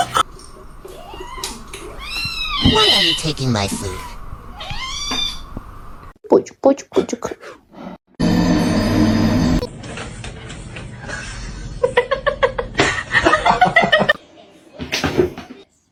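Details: A domestic cat gives a run of rising-and-falling meows in the first seconds, each with a clear harmonic stack, followed by bursts of music, voices and edited sound effects.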